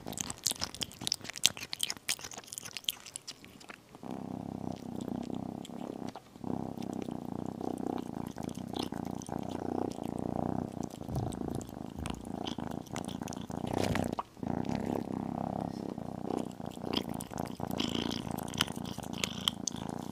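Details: After a few seconds of busy chewing and crunching, a tiny kitten eating chicken and beef settles into a long, even, low rumbling purr, with brief pauses and faint eating noises on top.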